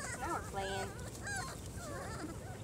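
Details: Four-week-old German Shorthaired Pointer puppies from one litter, outdoors for the first time, give high, wavering whines and squeaks that rise and fall, several overlapping, with soft human voices praising them in the background.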